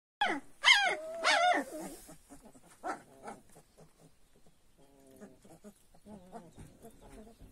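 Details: Young purebred Kangal puppies giving a loud, drawn-out yelping whine at the start, then a string of softer, thin harmonic whimpers and short squeaks that trail off quietly.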